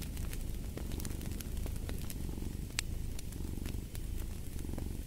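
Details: A cat purrs in a deep, throbbing rumble with gentle pulses of breath, while a fire crackles and snaps in frequent bright clicks throughout.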